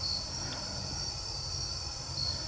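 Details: Crickets at night during a solo overnight campout on a jon boat on a river with moving current, after owls stopped hooting and coyotes stopped howling; a steady, continuous high-pitched shrill trill with a faint low rumble beneath.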